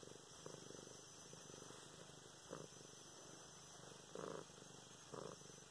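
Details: Luna, a pet cat, purring while being petted indoors, filmed November 24, 2016; a steady low rumble runs throughout, broken by brief rustling bursts from handling near the end.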